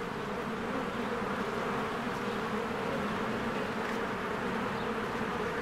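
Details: Honeybees at their hive on a spring day, flying in and out in numbers; an even, dense low-pitched buzz, steady in loudness, with a faint brief high sound near the end.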